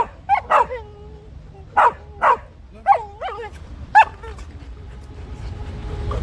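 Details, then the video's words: Beagle at play with a canine friend, giving short, clear yelps in pairs with wavering, whiny tails, spaced about a second apart. A third dog looking on adds barks, and there is faint background noise. "beagle dog making funny sounds while playing"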